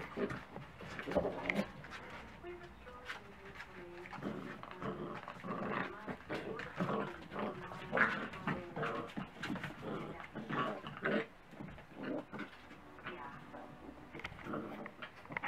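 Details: Dachshund puppies at breakfast time, several pups making overlapping whimpers, squeals and low growling grumbles amid clattering and a human voice.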